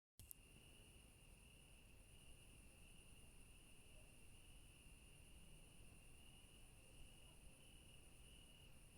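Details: Crickets at night in a garden among yellow flowers give a steady, high, unbroken trill over a soft low rumble.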